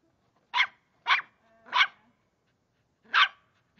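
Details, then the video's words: Three-month-old Cavalier King Charles Spaniel puppy named Charlie Brown, indoors, ferociously attacking a water bottle: four short, sharp, high-pitched yappy barks, three in quick succession about half a second apart, then a pause and a final bark. "Charlie vs water bottle"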